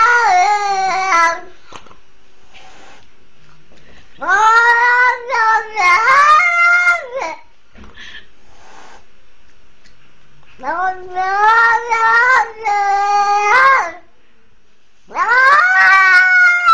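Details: Rescued kitten, attacked by a pitbull on a leash at twenty days of age, repeatedly wailing for help in bursts: clusters of loud, bending harmonic meows separated by quiet pauses of two to three seconds.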